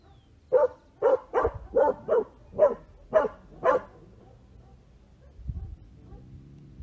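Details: Small dogs barking: eight sharp, mid-pitched barks in quick succession over about three and a half seconds, then quiet with a faint low thump near the end.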